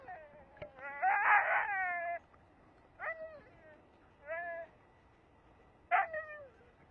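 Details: Saluki held on a lead, frustrated by deer running ahead. One drawn-out harmonic scream is followed by three brief, rising-then-falling yelping cries a second or so apart, and a person says "No".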